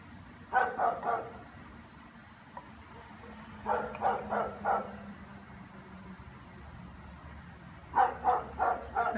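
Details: German Shepherds, more than one, barking all afternoon: three bursts of sharp, rapid barks, each a run of three or four, separated by quiet gaps, over low background rumble.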